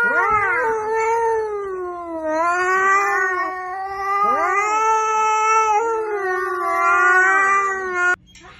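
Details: Cat giving long, loud, wavering yowls, each drawn out for one to two seconds with rising and falling pitch, three or four in a row with brief breaks, ending abruptly.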